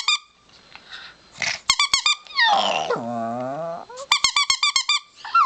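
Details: Four-year-old chihuahua howling at home: quick trains of high wavering yips, a rough sliding growl-like moan in the middle, then another rapid string of shrill yelps.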